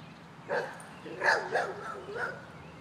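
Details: Pet dog barking at a man who stands by a swing set; four short, rough, harsh barks, the middle two close together, over a quiet background.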